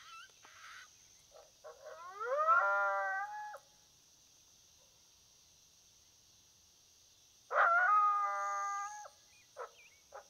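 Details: Coyote heard during a predator hunt: a short bark, then a drawn-out wavering howl rich in overtones, silence, and a second matching howl followed by a few sharp yips, over a steady high hiss.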